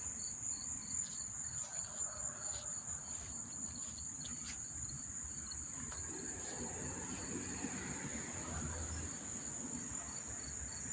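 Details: Insect chorus of crickets by Monmouth Park Racetrack, New Jersey, September 4, 2023: unbroken high trilling with intermittent rhythmic chirps, about two per second, plus occasional soft clicks and a low murmur in the background.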